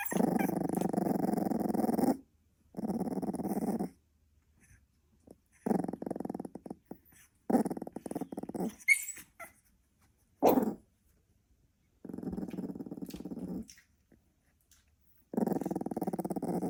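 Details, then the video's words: Sleeping Staffordshire Bull Terrier puppy making growling snores indoors: rough low rumbling bursts lasting about two seconds each, repeated roughly every three seconds with silent gaps, plus a few soft clicks and shuffling noises between them. "Cute puppy sleep, growl snoring"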